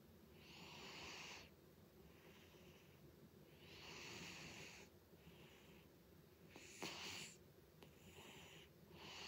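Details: Loud snoring from the cat Butters, slow wheezing breaths rising and falling in long hissy swells every two to three seconds, with one brief sharper snort-like click midway; nothing else audible.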